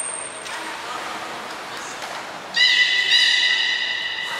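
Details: At Port of Nagoya Public Aquarium, 11 July 2020, belugas Taanya, Nana, Mirai and Niko in training. A thin high whistle-like tone opens the clip, then a loud, nasal, horse-like tonal call with stacked overtones holds for about two seconds.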